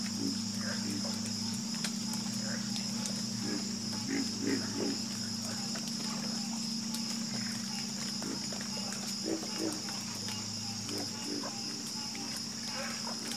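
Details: Frog chorus with scattered short croaks, some in quick pairs, over a low steady hum and a continuous high shrill drone.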